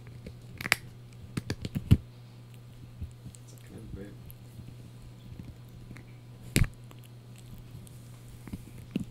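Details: Blue, a Yorkshire Terrier puppy, crunches a dried bunny ear in sharp, irregular bursts over a low steady hum.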